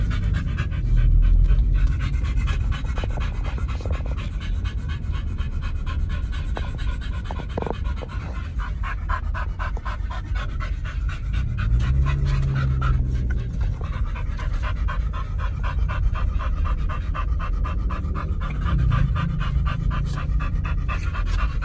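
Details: Dogs Oliang and Nomyen on a raw-meat picnic at a dog hotel pant through a long stretch. The fast breathing is sometimes softer and sometimes sharper, with a few clicks and low background noise.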